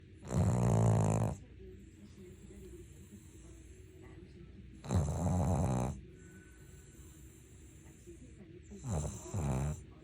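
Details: Ttuttu, a sleeping Maltese-Shih Tzu cross pet dog, snores in three long rasping low breaths about four seconds apart, each with a buzzy rattling texture, with quiet room hiss between them.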